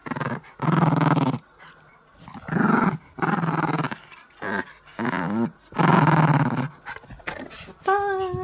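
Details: A Chihuahua playing tug-of-war with a string from its favourite toy gives gravelly, throaty growls, each about a second with short pauses, inviting more play; a brief higher whine-like note closes the sequence.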